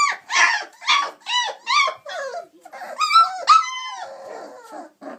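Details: Chocolate Labrador Retriever puppies aged 26 days, romping and climbing out of the whelping box; rapid loud yelps open the clip, followed by longer rising-falling whines and a rough, noisy tail.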